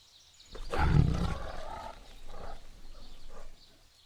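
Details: Tiger with one deep, rough roar that swells and fades over about a second, followed by two quieter, low growling pulses before silence.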